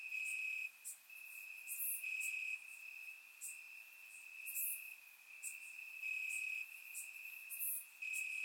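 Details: Crickets chirping in grass on a warm summer night in Bulgaria, recorded with a surround microphone: a steady high trill runs throughout, with brighter, sharper chirps from other crickets pulsing in and out every second or so.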